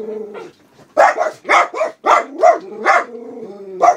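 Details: Black Miniature Poodles Alice and Charlie bark at the window as a passer-by and dog go by: a soft whine, then a rapid run of sharp, overlapping barks with whining tones threaded between them.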